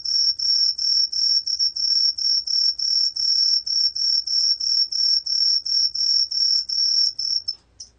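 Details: Truljalia hibinonis, a Korean tree cricket recorded for the National Institute of Biological Resources in 2020, gives a series of high, clear chirps in quick, even succession, which stops abruptly near the end.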